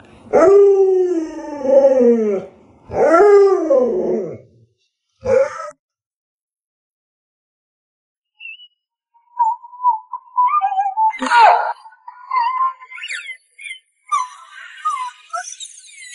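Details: Pet Alaskan Malamute Luoluo howls twice in long, arching tones, adds a short clipped cry, then falls quiet before scattered human voices and household noises take over.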